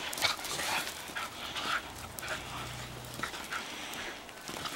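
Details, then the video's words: Two female Shetland Sheepdogs rough housing in a backyard at sunset; panting and short whiny growls, with a few brief high yelps over scuffling. "The two sheltie girls rough housing in my backyard"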